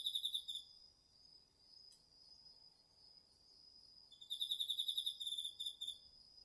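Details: Autumn night insects, crickets among them, in a garden vegetable patch, DR-40X recording: loud rapid pulsed chirps in short bursts at the start and end, a continuous high trill between, soft background hiss.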